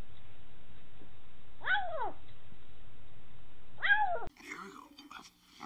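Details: Domestic cat giving two separate arched meows about two seconds apart, each rising then falling, followed by a brief burst of indoor noise.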